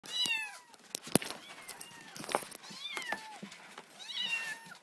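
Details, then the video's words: Four orphaned four-week-old kittens, hand-raised after their mother was killed, giving their daily wake-up calls to their carer: high, bent meows that fall in pitch, with scattered clicks and rustling between them. "Kitty wake up call"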